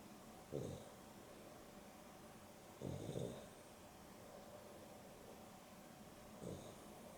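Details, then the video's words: Indoors during an afternoon nap, pet dog Dexter snores alongside Rio, a Boston Terrier and Beagle cross pair: three raspy snorts, the middle one longest and wheezing, spaced two to three seconds apart against a low steady hum. "30 min Dog Nap!! Boston Terrier and Beagle X (Dexter and Rio) snoring"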